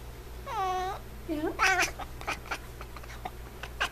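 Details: Indoors, Niko the F6 Savannah cat gives one clear, wavering meow near the start, followed by a short squeaky call, while a person talks affectionately over a faint background hum.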